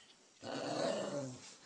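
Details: Playful growling among four Cairn Terriers indoors, red Walter and the wheaten Cordelia, Lily Beth and Chewy. One sustained, throaty, rumbling growl lasts about a second, preceded by near quiet, with brief human speech.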